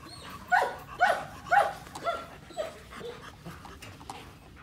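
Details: Female German Shepherd, described as very large and beautiful, gives a short run of high, whining yelps that bend downward in pitch, about two per second, then trails off into quieter, softer whines over faint background noise.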